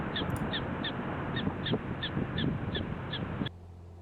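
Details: Prairie dog alarm call from Theodore Roosevelt National Park, a special high-pitched call warning other prairie dogs of danger and likened to a dog's bark. Around ten short, sharp, evenly spaced chirps over a low rumbling background that stops abruptly.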